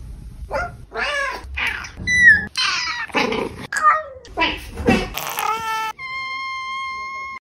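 A kitten gives a run of short, high, bending meows, with a voice and a steady electronic tone.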